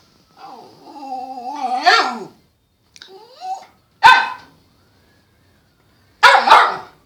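A Cairn terrier gives a long, wavering whine followed by a few sharp, high barks.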